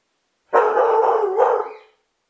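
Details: Belgian Sheepdog of the Groenendael type barking at the ringing doorbell, recorded by a hidden camera: a single prolonged bark of about 1.4 seconds, coarse and slightly howl-like, with a brief rise in pitch before it trails off.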